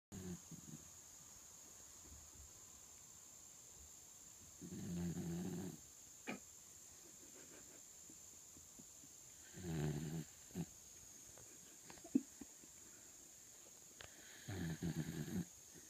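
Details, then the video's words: Sleeping dog snoring: soft, low, rasping breaths that swell and fade about every five seconds over a quiet background with a steady high hiss and faint clicks. "Snoring doggie"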